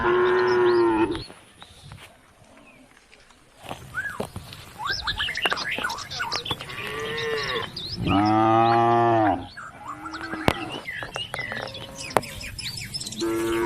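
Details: Cattle calling the herd home to the barn along country roads; strong harmonic moos at the start, middle and end, with quieter chirping sounds and clicks between them.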